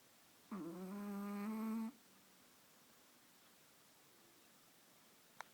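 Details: Chihuahua asleep in someone's arms during a nap, giving a single drawn-out, buzzy snore lasting over a second with a steady low hum and rich overtones, followed by quiet and a faint click.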